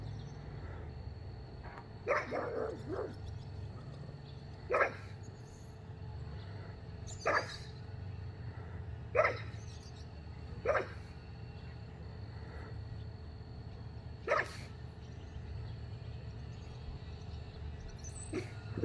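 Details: A pug barks at nothing, giving short, sharp barks every couple of seconds over a steady low hum.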